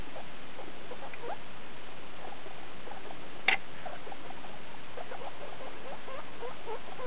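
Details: Skinny guinea pig mother Daisy and her pups, litter born 2 August 2012, recorded 19 August 2012 at CHS Luna; quick soft squeaks scattered across, a single sharp click or knock midway.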